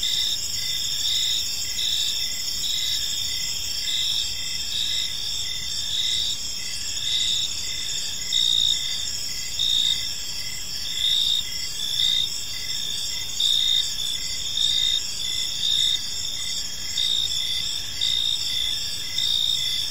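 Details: In a calm park at evening, crickets keep up a steady shrill chorus, high trills overlapping with rhythmic pulsed chirps that swell slightly at times, set against soft low environmental noise.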